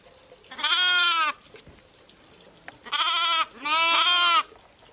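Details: Sheep and lambs calling with loud, bright bleats: one drawn-out cry, a silent gap, then two bleats in close succession, each slightly quavering.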